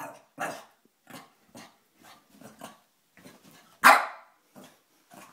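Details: A Boston Terrier, afraid of a Boston Terrier bank, gives soft, low grumbling huffs and then one sudden loud bark, followed by a few more quiet huffs.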